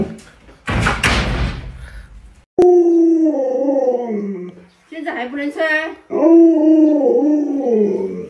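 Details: Pet Alaskan Malamute named Luoluo calling to rouse its owner who won't get up: a burst of rustling noise, then drawn-out, wobbling howls in several phrases with short pauses between them.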